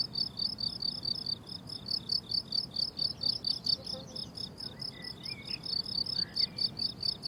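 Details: Shrill, rhythmic cricket chirps rise from a blooming summer meadow, pulses repeating quickly and evenly, with a few faint distant bird whistles in the second half.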